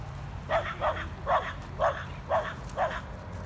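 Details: Corgi Nessi and Chihuahua mix Miles playing together: six clear, evenly spaced barks about every half second, mid-pitched and short, with a faint low rumble underneath.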